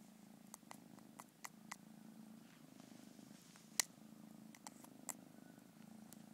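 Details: Kitten's purr as a soft steady low hum, broken by sharp clicks and taps that stand out above it.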